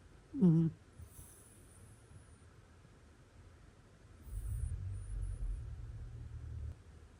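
A cat snores in its sleep. A short, voiced snort comes first, followed after a quiet pause by a drawn-out, soft, low rumble of breath lasting a couple of seconds.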